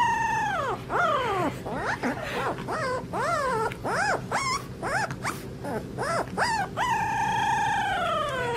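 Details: Puppies whining and howling in a long run of wavering cries that swoop up and down, each lasting under a second, opening and closing on longer drawn-out falling wails over a steady low background hum.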